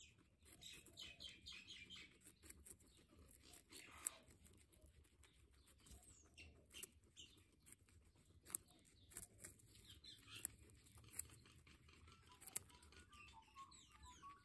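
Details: Guinea pig squeaking in a run of short, high, chirpy calls with stacked harmonics early on, then softer lower squeaks near the end, over low room rumble and scattered clicks and knocks.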